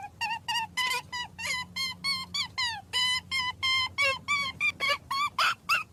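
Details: Rabbit. A rabbit screams in distress, a string of sharp, high, piercing squeals, each lasting only a fraction of a second. The cries come several times a second with short gaps between them.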